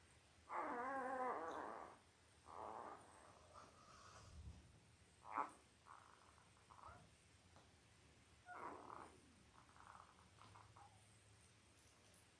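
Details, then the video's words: Five-day-old Labrador Retriever puppies from Belle's litter of eight, born October 15, 2023, on a live puppy cam: a long quavering harmonic squeal, then shorter whimpers spaced through the rest, over a quiet room hum. "5 Day Old Labrador Puppies"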